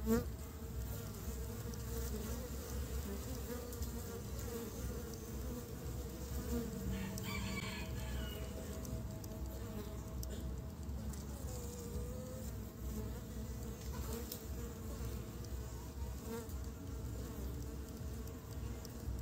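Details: Honey bees gathering pollen for nest building in early spring; an unbroken low drone of many bees with a steady harmonic hum, and a faint distant rooster crow about halfway through.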